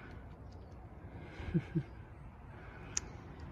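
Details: A hushed room with two soft low thumps and a single sharp click, and no animal voice.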